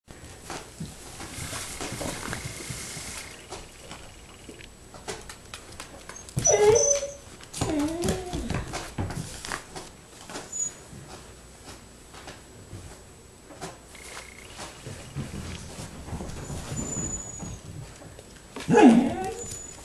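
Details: Rustydog's puppies, six weeks old, give two brief wavering whines, one near the seventh second and one near the end, against low room noise with scattered clicks and rustling.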